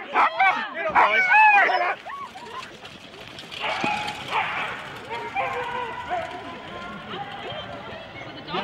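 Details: Sled-team Huskies in four-dog teams at the start, Rendlesham, January 2016: a burst of loud rising yelps and barks at first, then quieter scattered yips and whines with voices and background noise.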